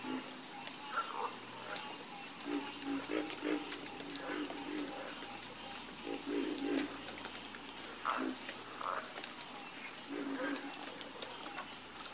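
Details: A chorus of frogs croaking: short, low, throaty croaks in loose clusters, with several callers overlapping at uneven intervals. A steady high-pitched insect-like hiss and drone runs underneath throughout.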